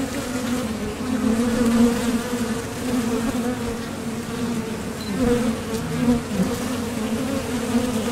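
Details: Continuous droning buzz of many honeybees leaving and landing at the mouth of a Top Bar Hive while foraging for nectar. The hum rises and falls gently as individual bees pass closer.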